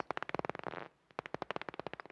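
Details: At dusk by a lake in Curraghchase Forest Park, Limerick, Ireland, a Daubenton's bat flies about 25 cm above the water; its echolocation through a detector is dry, toneless ticks with irregular rhythm, briefly speeding into a buzz.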